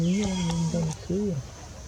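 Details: Baby monkey Gavin in the forest of the Angkor Park area, crying loudly for help while his mother Bonita weans him: two wavering tonal wails, the first long and even, the second shorter and arching.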